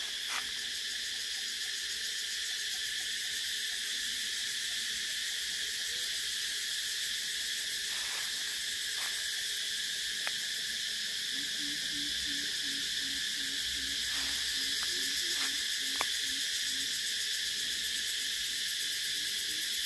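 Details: Steady piercing cicada buzz fills the whole stretch, joined in the second half by a faint low repeated chirping from another creature and a few sharp clicks.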